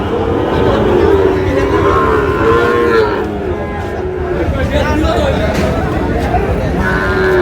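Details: Sahiwal breed bull calves at Ambari haat cattle market in Manikganj on 14 August, drawn-out tonal moos that rise and fall and recur through the clip, over steady crowd chatter and market bustle.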